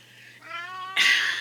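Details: A domestic cat "sings" with a drawn-out, steady, nasal meow, cut off by a sudden loud rustling burst; he usually does this at night, and the owner is unsure what set him off.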